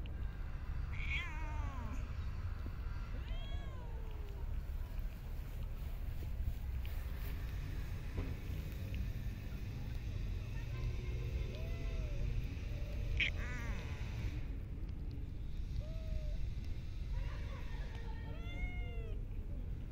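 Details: Feeding stray cats in a park or street: short, fairly faint meows at scattered intervals, some quick and chirping, against a constant low background roar of the city.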